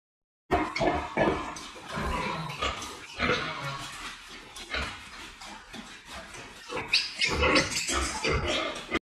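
A wild boar gives rough, broad grunts and snorts in quick, uneven bursts.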